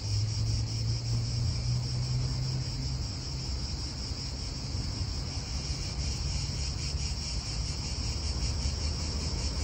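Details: Italian park atmosphere with cicadas droning: a rapid, fluttering high buzz running throughout, somewhat softer, over a steady low hum of wind and passing traffic.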